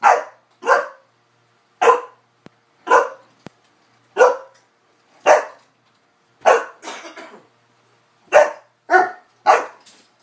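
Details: Newfoundland dog playing with a cocker spaniel indoors, giving sharp, loud barks in irregular bursts about once a second, some with a short growly tail, over a quiet room.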